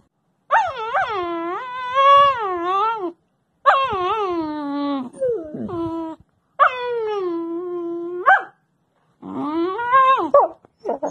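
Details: Young wolfdog puppy named Covington, filmed sometime between five weeks and four months of age, giving four drawn-out, wavering howls of two to three seconds each, rising and falling in pitch with short silent gaps between them.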